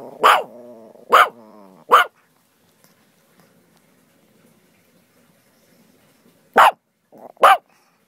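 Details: Playful pet dog barking during play with a friend: three sharp barks in quick succession with a growly whine between, a long quiet pause, then two more barks close together.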